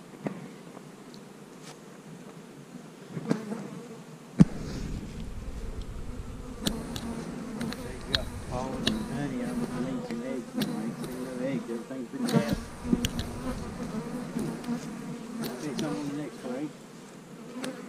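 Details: Honey bees humming as loose frames are brought in during hive splitting: a low steady drone, with frequent clacks, thumps and rustling from handling the boxes.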